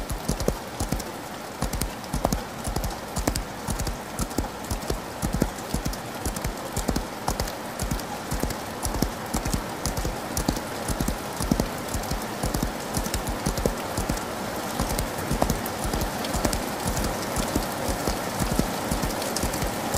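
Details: Hoofbeats of a horse galloping in the rain, rapid and closely packed, growing denser and a little louder toward the end, partly blurred by heavy, crackling rainfall.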